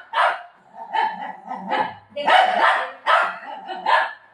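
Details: Pet dog barks steadily in harsh, loud bursts. About six barks come in four seconds, some doubled, with only faint other sounds between them.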